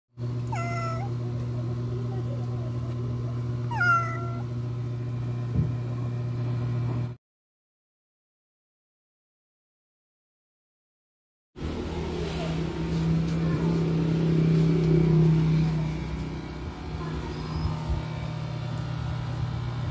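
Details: Ginger cat that keeps its distance and refuses offered food gives two short rising meows in the first seconds over a steady low electrical hum, then silence followed by diffuse background noise.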